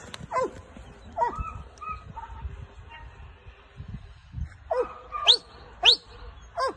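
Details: K9 Belgian Malinois, a very active dog, during a training session: high, tonal whining yelps with rich overtones, some sweeping sharply upward, about eight cries in seven seconds separated by short quiet gaps.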